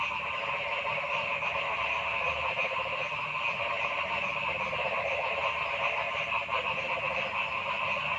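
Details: Many frogs calling together in a forest: an unbroken, buzzing chorus of overlapping pulsed croaks and trills, loud and even throughout, with no single caller clearly separated from the rest.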